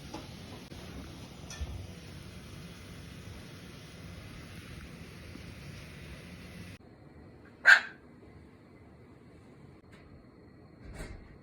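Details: Azuki, a cream Pomeranian that rarely barks, barking toward the bathroom indoors at home: a single sharp, loud bark partway through, surrounded by a quiet room hum and a few faint knocks.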